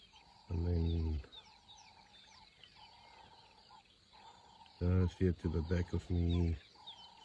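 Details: Lionesses fighting to the death over food in Kruger National Park, South Africa, 2024: a deep harsh growl, then a cluster of short snarling bursts, over a steady high tone in the background.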